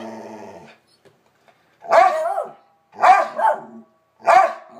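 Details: Bronner and Bella, two pet dogs, barking: a low growl fades out, then after a brief silence three separate barks roughly a second apart, one drawn into a double yelp.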